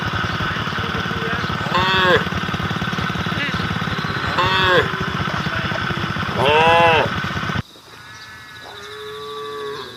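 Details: Cattle out on the road moo to call the herd, three long lowing calls in a row beneath a constant engine drone, which cuts off abruptly before a quieter, softer moo closes the recording.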